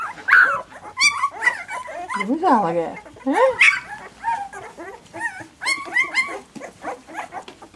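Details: Second-week puppies squeal and whine in rapid, looping tones, some sliding down sharply then climbing back up, others in quick wavy bursts, several voices overlapping.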